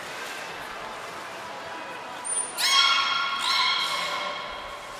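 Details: Captive belugas Gray, Nana and Mirai during a training session at Port of Nagoya Public Aquarium, 10 February 2024. A brief high trainer's whistle comes first, then a harmonic, nasal, buzzy call that holds steady and swells again, against hall echo.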